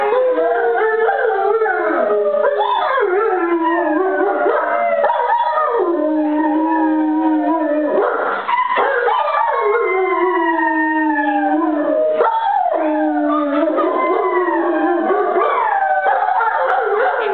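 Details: A 6-month-old, 78 lb male German Shepherd puppy howls in long, wavering, sliding tones, with several voices overlapping.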